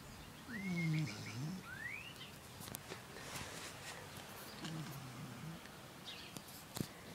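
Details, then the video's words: Pup named Jip snoring in sleep: one clear low, grumbling breath near the start, then a softer second snore, with brief high bird chirps and light ticking noises around them. "Snoring pup"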